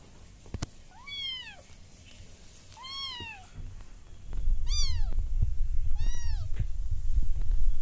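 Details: Young British Shorthair kittens give four clear, bright, downward-curving meows, each under a second long, before a loud low rumbling noise takes over the second half.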